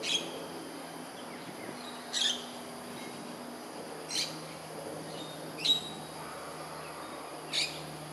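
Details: Wild smooth-coated otter in urban south-west Singapore, 10:14 am on 13 June 2023, giving short, high, sharp chirps every couple of seconds over a low steady hum.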